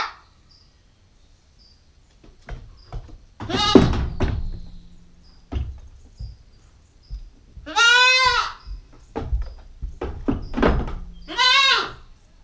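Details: Nine-week-old female Nubian goat kid on GoPro stakeout gives a harsh bleat amid thumps, then a clear quavering bleat around eight seconds and a shorter one near the end, with knocking noises between.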